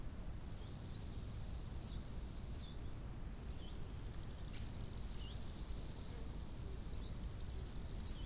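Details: Lakeside crickets in summer: a sharp, high trill running in long blocks with gaps between them, with sparse rising bird notes and a steady, low natural rushing noise.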